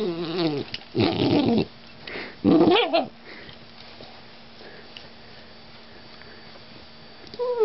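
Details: GSP puppy, a vocal youngster, lets out two loud, rough grumbling yelps about a second apart, each rising and breaking, after a fading whine; then a long quiet hum-filled pause before a new whine begins.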